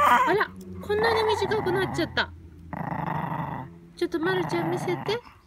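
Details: Pet Chihuahua gnawing on a freshly dug carrot, giving low rumbling growls in three bursts of one to two seconds each with brief pauses between, recorded indoors in a small room.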